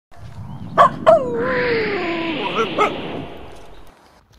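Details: Finnish Spitz dog giving two quick, sharp barks, then a long tonal whine that slides steadily downward in pitch for about two seconds, ending with one more short bark.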